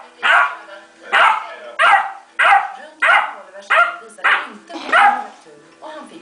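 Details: Basset hound puppy, indoors, not wanting to fall asleep, gives a run of about nine short, harmonic yelping cries, one roughly every two-thirds of a second, each sharp at onset and quickly fading.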